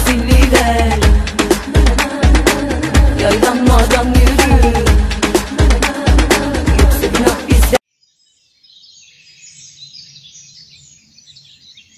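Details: Loud Afrobeat-style dance music breaks off abruptly, leaving a faint murmur of quiet background noise with no animal calls.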